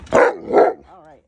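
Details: Alaskan Malamute, one of two giant pet dogs, excited indoors just before a dinner of pumpkin cupcakes. Two loud bark-like bursts are followed by a short, wavering, whine-like woo that trails off.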